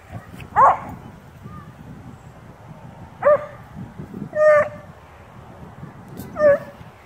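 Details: Two dogs, a beagle/shepherd mix and a blue tick, talking and playing: four short barks and yelping vocalizations at uneven intervals, some rising and wavering, separated by quieter grumbles and rustling.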